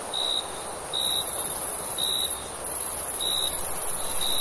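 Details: Night-time crickets in summer: brief bright chirps repeat roughly twice a second above a high shimmering trill that drops out and returns in short stretches.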